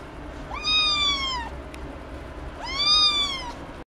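Two high, tonal meows from a Ragdoll cat, each lasting about a second, arching up gently before falling away. A short pause separates the calls, and little else can be heard.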